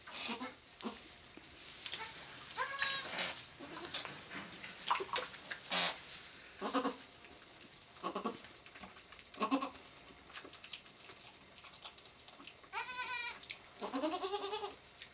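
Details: Pong the goat in labour with twins on 2/11/11: scattered short bleats and strained calls over a noisy background, ending with two clear quavering bleats in the final seconds.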